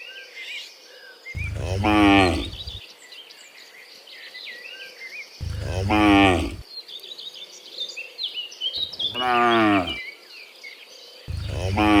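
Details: Dozens of cows herded home from the fields to the pen in the afternoon; four loud, drawn-out harmonic moos, each over a second long, come roughly every four seconds while birds chirp steadily in the background.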